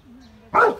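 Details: Labrador Retriever acting as a herding dog around cows and calves in Bangalore, Karnataka, India, recorded on an iPhone: half a second of low, quiet hum, then one short, loud, rough bark.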